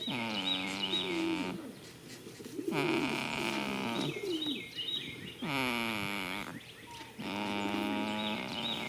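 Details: Goat snoring while asleep in a field in spring: droning, tonal breaths of about a second, repeated several times, with faint high bird chirps in the background.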